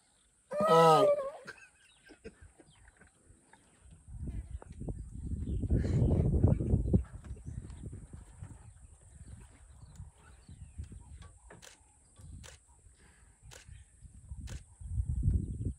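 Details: A male lion in a coalition of brothers in Zambia's Lower Zambezi National Park, awake in the morning heat while his brother sleeps in the shade, gives one short, loud, strained call that rises and falls, not a roar, followed by low engine rumble.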